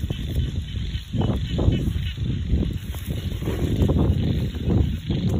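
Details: A loud chorus of frogs in a rural rice paddy, many croaking at once in low, honking, rough pulses that rise and fall in waves, a faint high whine behind them.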